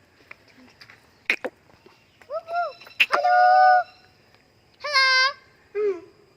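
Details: Gibbon at Sepahijala zoo giving clear tonal hoots, some arched and some rising, in short bursts between sharp clicks and knocks, with a long steady note near the middle and a few softer voices in the background.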